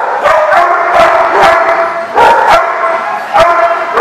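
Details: Several dogs barking on 14 August 2015: loud, harsh barks overlapping in a dense, irregular chorus, with one bark often following another within a second.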